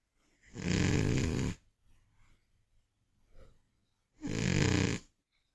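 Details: An old, overweight Scottish Fold cat, asleep after a day of eating, snores loudly: two long, rough, low rasping breaths a few seconds apart.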